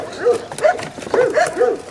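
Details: Belgian Malinois puppies, 7.5 weeks old, playing on a puppy rubble pile with varied footing and obstacles; short high yips and whines come in quick bursts about every half second, with a faint voice in the background.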